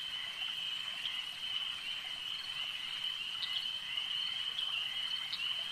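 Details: Lakeside frog chorus, a continuous high-pitched trill with faint clicks rising above it around three and a half and five seconds, and no other clear sounds.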